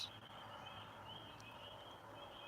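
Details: Spring peepers give high, thin peeps blending into a steady ringing chorus in the distance near ponds; they stop calling when there are noises.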